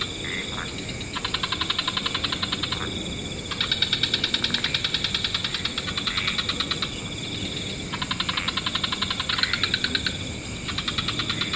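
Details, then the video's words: Wetland frog chorus at dusk with several species calling. Long runs of fast, even pulsed trills alternate with short pauses, one group answering another, all over a constant high background hiss. "Frog Orchestra"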